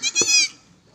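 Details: A goat on a farm in Gulbarga, Karnataka, lets out one short, loud, quavering bleat lasting about half a second, then quiet background.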